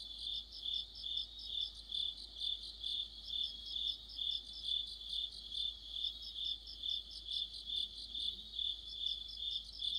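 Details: Insect orchestra of crickets in mid-autumn: continuous shrill chirps beating at roughly two and a half per second, joined by overlapping higher ticking trills throughout.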